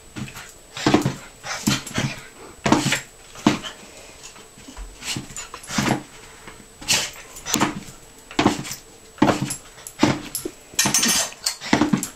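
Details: A Miniature Pinscher called Holly, bouncing excitedly indoors at dinner time, keeps up a long stream of brief, high, whining yips, around sixteen in twelve seconds at an irregular pace, with faint kitchen clatter near the end.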